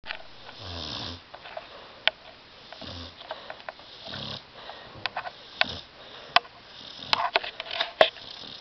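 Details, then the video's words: Tyson, a dog asleep on a love seat indoors, snoring in rough, wheezy bursts mixed with sharp clicks and snuffling noises, uneven in rhythm. "DOG SNORING"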